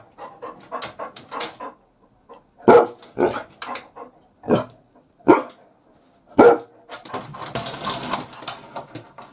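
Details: Labrador Retriever working as a house guard from the bath: scattered loud single barks between softer huffing and muttering sounds, irregularly spaced, in a small echoing room.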